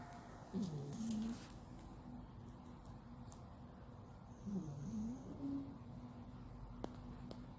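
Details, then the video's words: Male flat-nosed cat sound asleep, snoring loudly: two low, rough, drawn-out snores a few seconds apart, each with a wavering tonal edge, over a quiet room hiss. "Cat Snore! yes yes yes he snore so loud"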